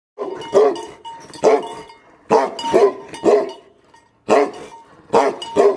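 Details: Aggressive Tibetan Mastiff dogs barking angrily: deep, harsh barks coming in pairs or short bursts, about two barks per second within each burst, separated by brief pauses, with a steady faint ringing tone in the background.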